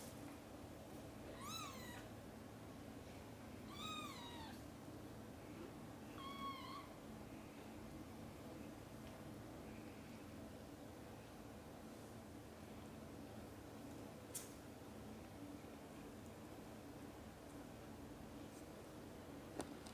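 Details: Mother domestic cat calling her kittens, who are busy playing and sleeping, to wake up for lunch time; three short harmonic meows in the first seven seconds, each rising then falling, followed by quiet room hum with a few faint clicks.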